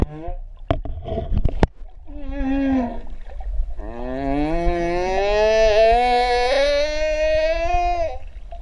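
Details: Humpback whale underwater at Ha'apai, Tonga, with three whales present: after a few low knocks and a short wavering moan, one long, loud, slightly rising harmonic whine carries on for about four seconds.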